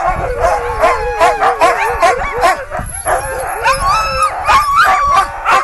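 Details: Excited sled dogs at Gunflint Lodge, 2012, before a sledding run through the woods: many dogs howl and yip together, with warbling wavering howls, rising whines and sharp barks layered in a constant noisy chorus.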